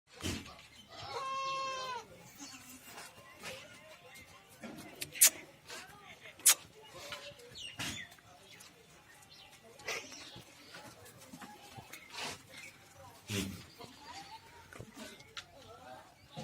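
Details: Goat at a farm in Ajmer, Rajasthan, giving one loud, quavering, harmonic bleat near the start, followed by scattered knocks, clatter and human voices in the background.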